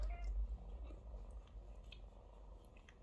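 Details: Domestic mother cat tending kittens that wait to be washed and fed; a short mew at the very start gives way to a deep, continuous rumbling purr that slowly fades.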